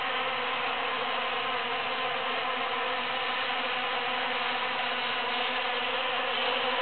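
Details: Busy bees foraging through huge cactus flowers after the June 22, 2013 super full moon. A steady, unbroken droning hum with layered tones stays level throughout.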